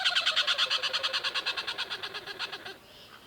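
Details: Tree squirrel recorded for an African wildlife sound library, giving a rapid chattering call of harsh, clicking pulses repeated about three per second for nearly three seconds, then stopping.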